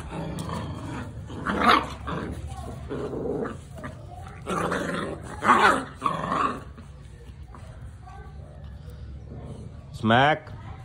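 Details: Labrador Retriever puppies; rough, growly bursts come in clusters, with a sharp, rising yelp near the end and human voices in the background.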